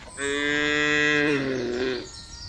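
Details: A single long, steady moo from cattle in a large herd driven over open pasture, rich in harmonics, sliding slightly downward at the end with faint herd noise behind.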